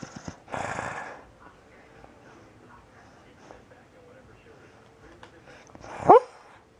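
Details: Bailey the Beagle dreaming in sleep gives a short rising whimper near the end, a brief squeaky yelp climbing in pitch after long quiet, with a rustling bump at the start.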